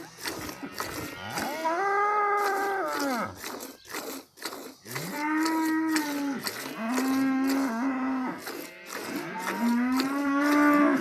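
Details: Village cow mooing repeatedly: four drawn-out, harmonic moos that swell in, hold steady and fall away, with sharp clicking knocks sounding between the calls.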